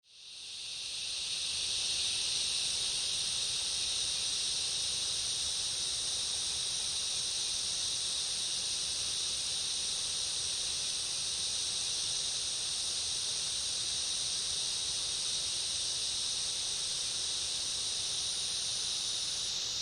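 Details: A dense cicada chorus with other insects in summer rainforest makes a steady, shrill, high-pitched buzzing that hardly varies throughout.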